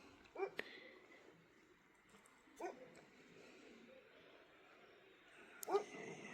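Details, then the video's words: Dogs barking far away on a cold, cloudy night at a forest stay near Jim Corbett, Uttarakhand, India; three faint, short barks spaced about two to three seconds apart over quiet background hiss. "दूर-दूर से भी कुत्ते के भौकने की आवाज आ रही है।"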